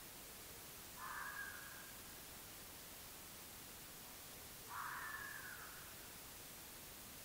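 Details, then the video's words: A red fox (Vulpes vulpes) gives two hoarse, harsh calls, each about a second long and several seconds apart, captured by an AudioMoth field recorder on 9 March 2024 at about 19:00. "Red fox (Vulpes vulpes) recorded with AudioMoth"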